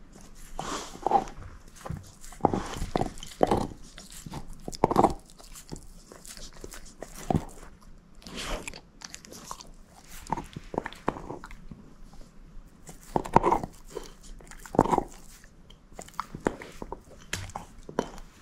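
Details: Bone-eating by Moose, a female shepherd mix: steady irregular crunches and bites over a long stretch, with denser loud clusters of cracking toward the start and again later, short quiet gaps between.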